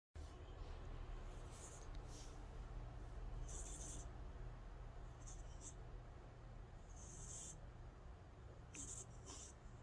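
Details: Calico cat Angttu snoring in deep sleep: soft, high whistling breath tones recur about every two seconds over a steady low hum, with no other voices.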